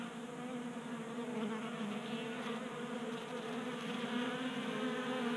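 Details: Swarm of honey bees feeding from a 3D printed feeder in a garage in Colorado in January, giving an unbroken layered buzz that swells slightly louder toward the end.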